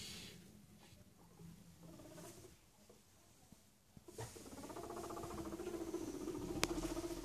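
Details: Two boy guinea pigs, Chucky and Stephen, returning from daily outside time to their rearranged house; a low, rapidly pulsing rumble of about four beats per second builds over the last three seconds, with rustling and a man's voice greeting them.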